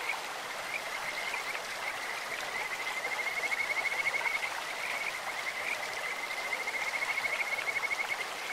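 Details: Kajika frog in a clear stream sings two long, high, level trills of rapid whistled pulses, each about three seconds, over the constant rush of stream water.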